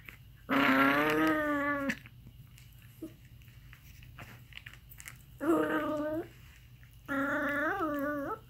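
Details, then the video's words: Aardvark giving odd, nasal, bleating calls. A long harmonic cry of about one and a half seconds is followed after a pause by two shorter ones, the last with a wobbling, rising-and-falling pitch. "Weird sounds from Aardvark"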